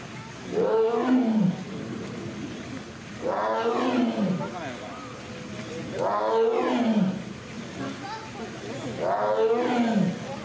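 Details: Female Amur tiger, born February 2021 at Hamamatsu Zoo, roaring on land after retrieving a toy cone from the water; four strong arched roars, about three seconds apart, with low background murmur between them.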